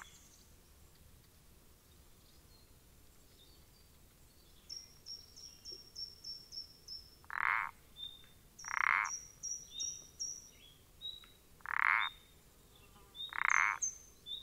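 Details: Pelodytes punctatus, the common parsley frog, recorded 14 April 2020: four rasping croaks in the second half, spaced roughly 1.5 to 3 seconds apart, mixed with quick series of high, thin whistled notes.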